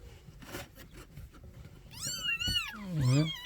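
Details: Kittens of the street cat Nabi crying, rescued and reunited with their mother in a new home: loud high arched meows near the end, overlapping, with faint handling noise and low thumps before them.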